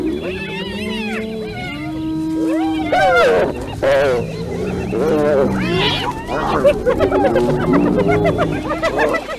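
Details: Hyenas fighting: loud, overlapping wavering whoops and giggling yelps that rise and fall in pitch, with harsh bursts crowding in from about three seconds on, dense and continuous throughout.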